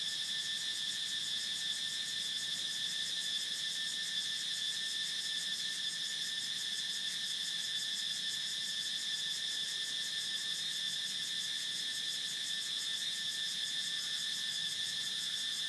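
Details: Steady, shrill cicada drone that holds the same high pitch and loudness throughout, a fast trembling pulse running through the buzz, and nothing else audible behind it.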